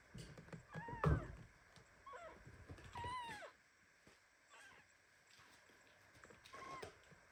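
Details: Premature kitten Anna meowing indignantly while hugged very tightly by mother cat Ginny, at home among several litters of kittens; a series of thin, high, arched mews, some in quick pairs, spread through the clip, with soft rustling and a loud bump early on.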